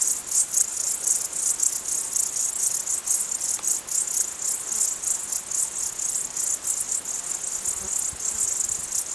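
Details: Crickets in the mountains chirp steadily in a high, shrill, pulsing chorus that never lets up.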